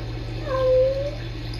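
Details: A short, steady, tonal mew from rescue kittens Sisko and Mila, caught on a Tiny Kittens Society live cam as they talk to each other, with a constant low hum in the background.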